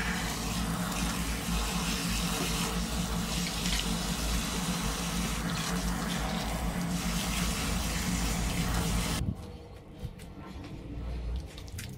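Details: Water gushes from a tap for about nine seconds, then stops, leaving quiet indoor clatter and drips with no animal voice.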